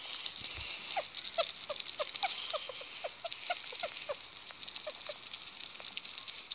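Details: A happy sugar glider chirps in a quick run of brief, slightly rising notes, several per second, with light clicking and a constant background hiss.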